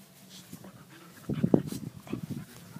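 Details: A five-month-old American Pit Bull Terrier puppy weighing 40.5 pounds gives a short burst of breathy panting with a few low whimpering sounds near the middle, after a quiet start.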